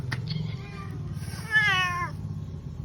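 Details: Pet cat being dressed in a new shirt by its owner at home, giving one clear drawn-out meow with a falling, harmonic-rich tone lasting about half a second, preceded by faint sounds and low background hum.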